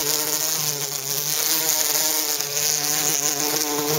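A bumblebee buzzes steadily, a low droning hum with even overtones that wavers slightly in pitch.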